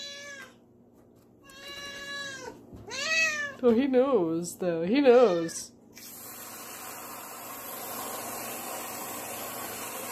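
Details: Male domestic cat worked up by the sound of canned whipped cream in a kitchen; several plaintive meows building to wavering, trembling yowls, followed by a steady hiss of spraying cream.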